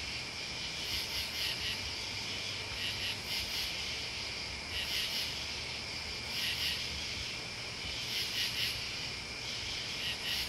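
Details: Shrill chirping of crickets and bugs forms a thick, even wall of high sound, with louder pulsing bursts returning every couple of seconds.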